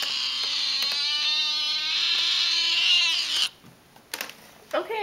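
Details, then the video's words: Beast, a male Tonkinese pet cat described as very talkative, gives one long drawn-out yowling meow lasting about three and a half seconds at a steady pitch, cut off abruptly, followed by quiet rustles and a short faint sound. "BEAST: Talking Tonkinese"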